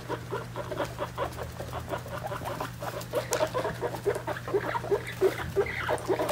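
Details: Three-week-old guinea pig babies with their mother, around weighing time: short squeaky calls repeat in an uneven run over a steady low hum, growing busier and denser toward the end.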